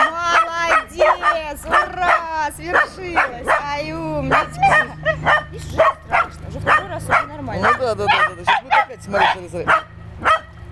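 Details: Pet dogs playing with water give a run of short, high yips and whimpers in quick bursts, mixed with people talking.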